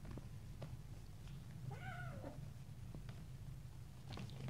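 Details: Little stray kittens playing, biting and pouncing on each other indoors; one short meow near the middle, a clear tone that bends up then slides down, over a steady low hum and soft scuffling thumps from the play.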